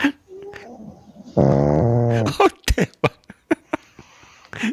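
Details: Sleeping pug, just woken, gives a loud drawn-out nasal whine lasting about a second, followed by a run of short sharp clicks and snuffles with brief pauses between them.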